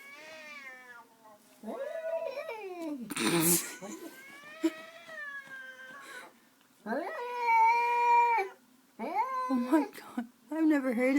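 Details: An indoor cat confronting another cat on the other side of a window in the morning, long wailing caterwauls and rising-falling yowls with a sharp hissing burst between, the animals described as mad at each other.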